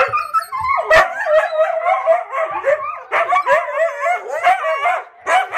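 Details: Several pet huskies, aged six months to three and a half years, sing along with harmonica playing; quavering, bending howls overlap in a dense chorus, with a sharp yip near the start and brief pauses between phrases.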